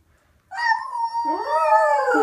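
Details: Domestic dog joining a girl's howling 'singing' in a duet; a clear high howl starts abruptly and holds steady, then a second, lower wavering howl rises beneath it so the two voices overlap.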